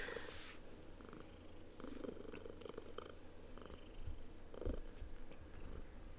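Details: Pet domestic cat purring indoors in a small room, a low steady rumble running under the whole stretch, with rustling, handling knocks and soft clicks on top.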